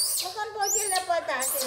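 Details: Orphaned infant female monkey, rescued by villagers after being found alone near the jungle, cries angrily while being bathed: high, wavering screeching arcs over a steady harmonic whine, with a woman's voice talking in Indonesian.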